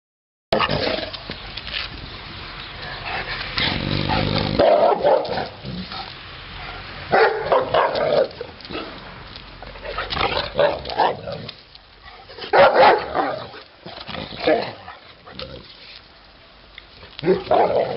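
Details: Titti, a female Neapolitan Mastiff, giving loud deep barks in irregular bursts across the recording, separated by quieter stretches with background noise.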